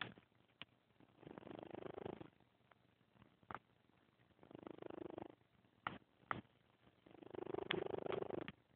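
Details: Fourteen-year-old female cat snoring loudly while asleep: rough breathy bursts about a second long, repeated roughly every three seconds, with a few sharp clicks between them in a quiet indoor room.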